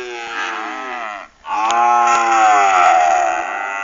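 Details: A group of weaned calves lowing: a loud, sustained harmonic moo that dips briefly near the middle, then resumes and holds steady to the end.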